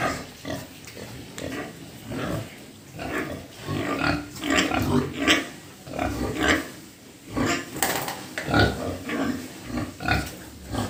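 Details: Several pigs at a pig farm grunting and squealing in quick, overlapping bursts, some sharp and noisy, the calls coming in clusters with short gaps between them.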